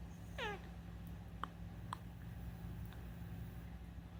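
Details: Rescued house cat talking at night, one short downward-sliding meow, then two sharp clicks and steady low hum.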